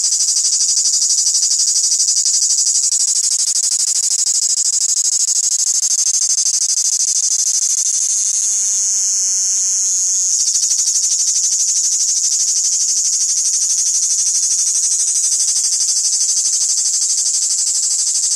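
A cricket keeps up a loud, high-pitched chirping throughout, a shrill buzzy pulsing repeated about three times a second. No other clear sounds intrude.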